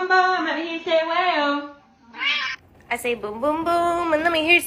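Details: Cat meowing loudly: long, drawn-out, low-pitched meows that waver and slide, a short higher cry in the middle, then a sustained wailing meow, all clear and close.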